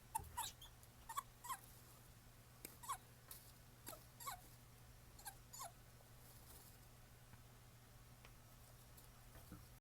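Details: Several captive male Japanese stream toads (Bufo torrenticola) kept at home, each with a different voice, recorded 20 October 2016: short soft chirping peeps at irregular intervals over a steady low hum.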